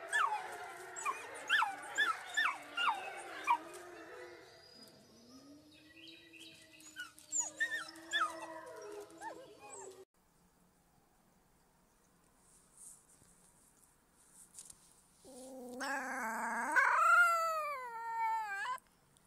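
Wolf pups give rapid, squeaky yips and whimpers, then a thin, wavering howl that rises and falls.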